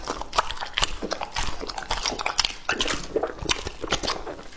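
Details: Lucky, a two-and-a-half-year-old male English-type Labrador Retriever, eats raw meat. Wet, crunchy bites and chewing come in quick, uneven bursts, with sharp clicks and smacking throughout.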